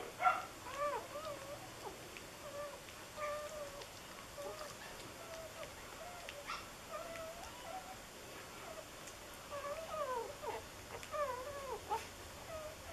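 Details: Four-day-old red and white puppies, a litter of two males and four females, whimper and squeal in a steady stream of high, wavering whines that rise and fall, often overlapping, with brief pauses between bursts.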